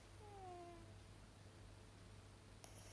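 A sleeping miniature dachshund gives one soft, squeaky whimper that slides gently downward.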